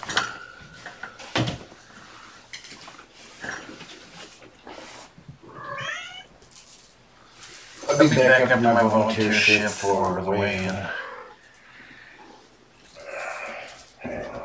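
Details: Kittens from mother Gamora's litter of five, born April 14, at afternoon play time indoors on 2018-05-29: several short, high, rising meows in a quick series, with a man's voice talking and clinking household sounds around them.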